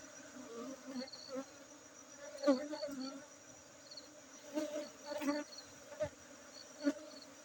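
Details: Honey bees at a bee-keeping site in Aceh: a steady low droning hum that swells and fades as bees pass close, with sharp knocks and a regular high chirping insect in the background.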